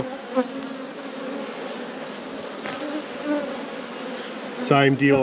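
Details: Honey bees droning steadily as hives are inspected in a busy apiary. A constant low buzz runs throughout, with light knocks from handling. A person's voice cuts in briefly at the very end.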